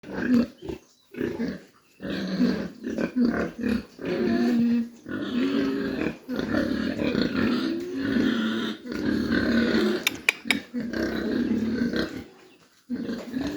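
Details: Mini pigs at a farm in Dimapur, Nagaland, giving continuous low grunts and squeals in overlapping bursts, with short quiet gaps and a few sharp clicks near the end.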